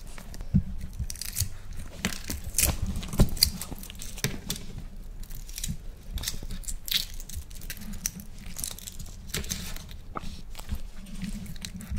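Close chewing, crunching and soft tearing sounds in a small room, with no animal calls.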